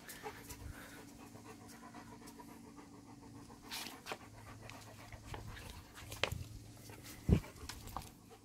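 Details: German Shepherd dog at home on a hot Friday afternoon, before dinner, panting steadily: soft, rhythmic breathy puffs under room noise, with a few sharp knocks and clicks near the end.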